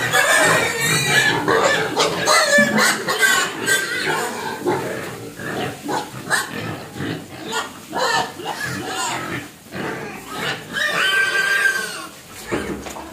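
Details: Pig crying for food out of hunger, giving loud repeated squeals in quick succession, some with clear rising-and-falling tones, others rough and noisy, with short pauses between bouts.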